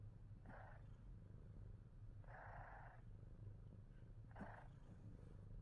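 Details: Himalayan Persian cat, a male, purring steadily with a deep continuous low rumble throughout, broken by three short breathy mid-pitched bursts about two seconds apart.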